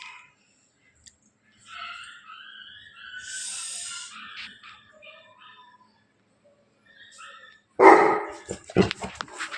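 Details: Bully Kutta dog in Bangalapudur; faint murmuring and background sounds give way to a loud, rough bark followed by a few sharper short bursts.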